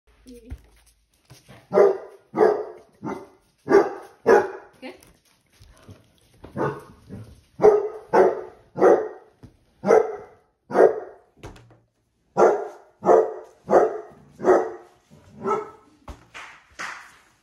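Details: Basset Hounds Musta and Ari, pet dogs reacting to heart-shaped balloons they dislike, give loud, harmonically rich barks in uneven bursts of two or three, pausing between volleys, with a few softer yelps near the end.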